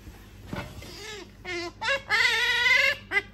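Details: Female pet otter begging for an item its owner holds, wanting it again and again despite earlier refusing it; a series of high, whistly squeals, short bursts building into a long sustained wavering squeal, then a final brief cry.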